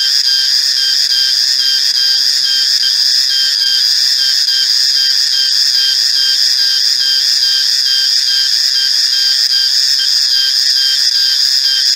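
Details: Reriang or riang-riang cicada producing a continuous piercing buzz, several steady high-pitched bands held without a break or change in loudness.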